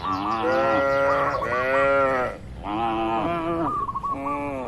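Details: Cattle in a farm pen holding dozens of tame animals: continuous loud, harmonic moos, one long call followed by another after a brief dip, bird chirps faintly audible over them.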